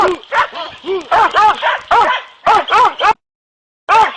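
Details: Hunting dogs Kopoy and Barak, trained for wild boar in Turkey, let out arched, wavering yelps and barks in a quick run, then stop briefly before one more bark.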